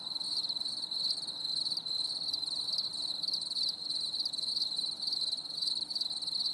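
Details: Crickets singing on a stormy summer evening: a steady, high, shimmering trill with faint pulsing, sustained without a break, with thin overtones above and no other clear sounds.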